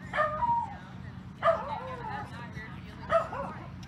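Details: Sealyham terrier at the Skaha Dog Show, held August 29–31, 2023: three short, sharp barks spaced roughly a second and a half apart, over a steady low hum and faint background voices.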